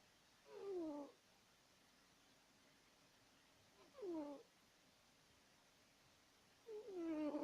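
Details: Sleeping house cat snoring loudly: three tonal, wheezy breaths, each just under a second long and falling in pitch, spaced roughly three seconds apart in a quiet room.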